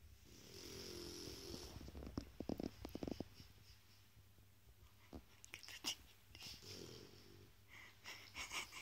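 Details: Toky, a Shar Pei, snores while asleep: rasping, buzzy breaths with layered tones, one near the start and another about five seconds later, separated by quiet breathing and a few soft clicks and taps.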